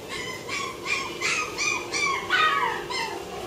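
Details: White female Toy Poodle puppy born 10 October 2008; a run of about eight high, nasal whines and yelps, each arching up and down, following one another closely over a few seconds.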